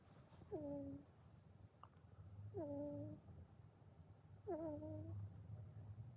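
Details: Sleeping house cat snores in steady breaths about two seconds apart. Each breath is a low rumbling drone that finishes in a brief, downward-sliding nasal whistle.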